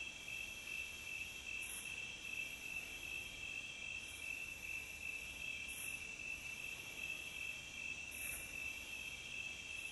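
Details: Nature recording of crickets chirping steadily, a shrill pulsing trill held at one pitch, broken by short breathy bursts roughly every two seconds, over quiet low background noise.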